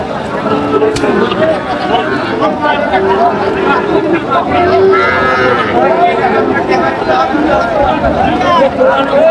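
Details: Young Sahiwal bull calves lowing at a busy livestock market on 15 July 2025, bought by a farmer from Natore; drawn-out moos overlap one another amid steady crowd chatter and bargaining voices.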